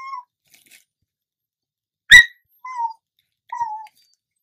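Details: Domestic dog, female, begging for chips: thin, descending whines repeated, with a sharp click or crunch sound in the middle, recorded indoors.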